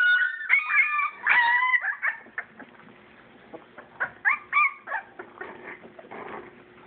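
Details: English Springer Spaniel puppies at play, a purebred litter. Loud sliding whines open the passage, then fade to scattered short yips and soft scratching, with a steady low hum and quieter gaps toward the end.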